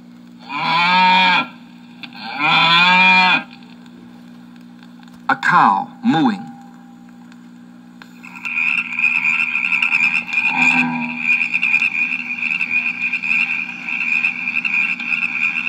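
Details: A cow on a farm gives two long, drawn-out moos close together, followed by brief clicking sounds and then a steady high chirring drone that lasts to the end.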